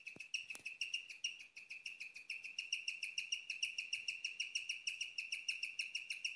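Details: Female pet guinea pig chirping at night, a rarely heard sound: a steady run of high, bird-like chirps with bright overtones, about three per second, continuous throughout with a couple of faint clicks near the start.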